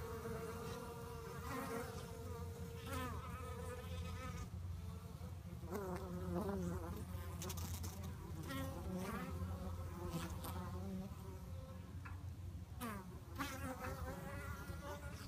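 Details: Honey bees fighting, their buzzing a mix of wavering, sliding tones that swoop up and down over a constant low drone, with sharp bursts of noise now and then.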